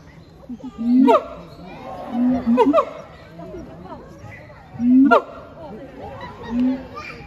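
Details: Captive siamangs Heart and Brave at Chiba Zoological Park, Japan, 12 November 2022, giving scattered loud notes: low swelling booms and quick rising barks, four main bursts with quieter gaps and background visitor chatter.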